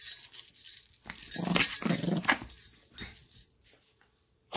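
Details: Lady, a pet Chihuahua, growling while playing indoors; a low rumbling growl swells for about a second and a half in the middle, with brief noisy rustles and a sharp sound at the end.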